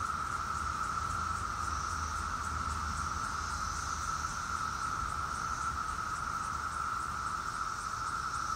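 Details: Periodical cicadas of Brood X, the 17-year cicadas, fill the air with a steady, droning chorus of mating calls, unbroken throughout.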